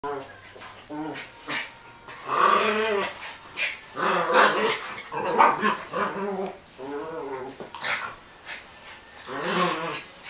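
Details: Two dogs, Ziza the Dogo Argentino and Princess the Maltese, fighting indoors in a room; a rapid run of harsh snarls, yelps and whining growls in short bursts, with a person's voice calling out between them.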